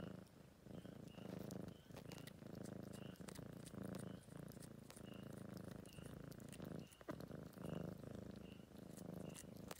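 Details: At Greenhouse Cafe in Tagaytay, an aged adopted stray tom grooms while purring strongly, a rhythmic throaty rumble rising and falling with each breath, faint regular high ticks behind it.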